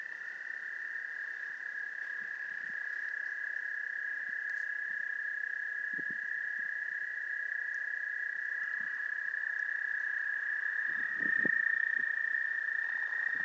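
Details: Mating wood frogs at the Goldfish Pond in Gillette Castle State Park, April 11, 2021: scattered low, hoarse clucks, some clustered near the end, beneath a continuous high-pitched chorus tone.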